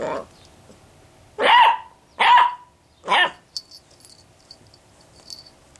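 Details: Basset Hound puppy, two months old and female, barking to get attention because nobody responds to her: three loud, high, evenly spaced barks, then quiet room noise with faint clicks.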